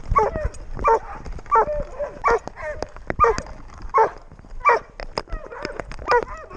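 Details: GoPro recording of a six-month-old Doberman Pinscher during a walk: clear, evenly spaced barks with yelping overtones, roughly one every three-quarters of a second, over soft ambient noise.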